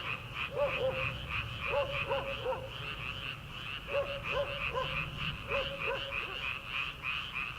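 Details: Frogs calling from rice paddies on an early-summer night, before rice transplanting begins: a steady, high, shimmering chorus runs throughout, overlaid by short, lower croaks that come in quick pairs and triplets, clustered in bursts a second or two apart.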